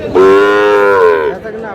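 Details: Sahiwal bull calf for sale at Aftabganj cattle market, Dinajpur, as the day's trading begins on 13 June; a single loud, even moo of just over a second, ending with a slight downward slide.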